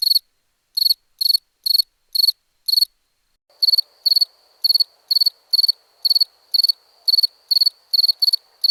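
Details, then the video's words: Repeated high pulsed cricket chirps, about two per second, joined midway by a faint continuous thin trill and soft background hiss underneath the chirping. "Cricket Sounds"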